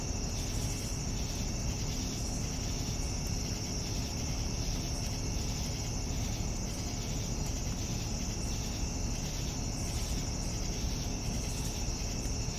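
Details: Evening cricket chorus: a sustained piercing trill with evenly spaced chirp pulses repeating around every second, set against a steady low rumble.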